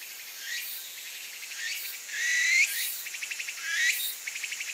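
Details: A Kaempfer cicada (Platypleura kaempferi) gives a dry, high buzzing call broken into rapid rasping pulses; this cicada was seen tilting its body to urinate.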